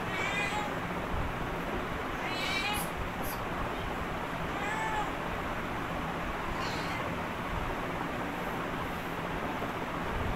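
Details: Domestic cat that comes over whenever its owner stands for namaz prayer. Three faint, short harmonic meows, about two seconds apart, sound over a steady broadband hiss of room or fan noise.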